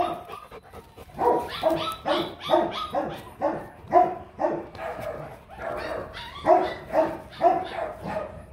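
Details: Rottweiler, a large dog breed, barking in a steady run of short, harsh barks, roughly two each second across eight seconds, some louder than others, with no other clear sounds.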